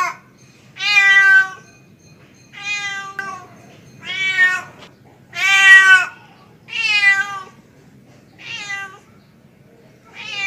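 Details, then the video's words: A male domestic cat calls for a female with a steady series of seven loud, harmonic meows, each under a second long. Each meow rises then falls, with gaps of about one to two seconds between calls. "SUARA KUCING JANTAN MEMANGGIL BETINA"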